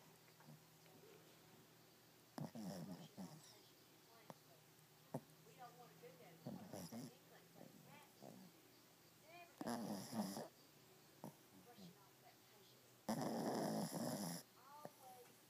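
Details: A Shih Tzu snores in loud, rasping bursts, with soft human voices in the background.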